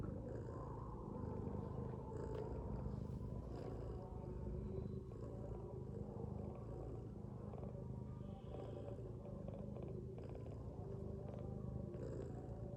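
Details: Sleeping domestic cat, a mother lying with her kittens, gives a steady low rumbling snore, a deep pulsing drone that runs unbroken for nearly thirteen seconds with faint soft rustles above it.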